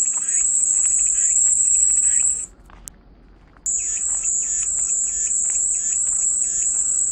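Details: Calming cicada sound: a continuous shrill buzz cuts off abruptly after about two and a half seconds, leaving near silence, then resumes just as suddenly a second later, with softer pulsed chirps underneath.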